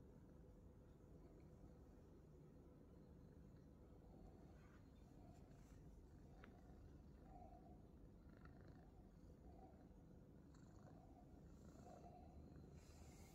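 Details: Himalayan Persian cat named Droppy resting on his favourite perch, giving a low, steady, continuous purr that rumbles without break throughout, with a few faint soft clicks and rustles above it.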